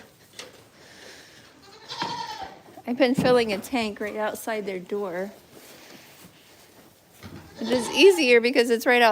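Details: Goat at The Willful Goat Farm & Home, live stream: quavering, wavering bleats in a run of short repeated bursts around the middle, then another wavering burst near the end, with human voices mixed in.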